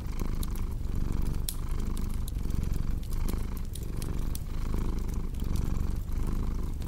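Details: Relaxed cat purring in a dense, low rumble that beats in even cycles under half a second to a second apart, accompanied by crisp intermittent crackles of a fireplace fire.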